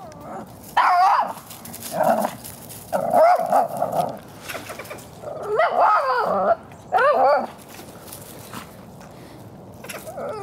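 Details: Henry, a Shih Tzu, barks to frighten a gray squirrel: five loud, wavering, warbling barks with a whining, yodel-like bend, spaced about one to two seconds apart, with quiet rustling between them.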